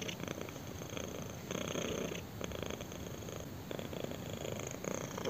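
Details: Kitten purring while being scratched on the chin: a steady, rumbling purr in broad pulsing bursts, each inhale and exhale phase lasting about half a second to a second, with no other sounds.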